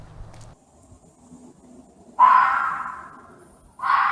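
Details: Fox described as angry and screaming: after a quiet start with faint low rumbling, a loud harsh scream bursts out, hoarse and broad, fading over about a second and a half, then a second scream begins just before the end.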